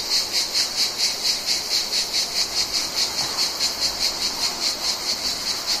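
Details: Insistent high-pitched buzzing of Mediterranean cicadas in summer, regular pulsing beats roughly twice a second throughout, steady in volume, with a faint hiss underneath.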